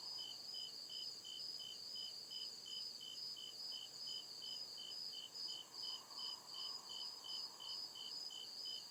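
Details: Crickets chirping at night deep in the woods, a regular train of high, clipped chirps about every 0.4 seconds beneath a sizzling higher trill, and a faint murmuring drone rising midway through.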